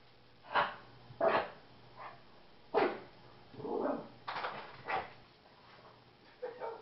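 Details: Angry during play with his owners, Vegas the Shih Tzu breaks into a sneezing fit. Quick, explosive noisy bursts repeat roughly every half second to second, some paired, over a low steady hum.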